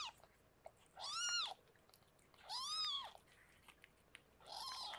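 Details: Indoors in foster care as rescued cat Harlequin delivers six kittens, two clear, drawn-out high mews arch up and down about a second and a half apart, with a third starting at the end.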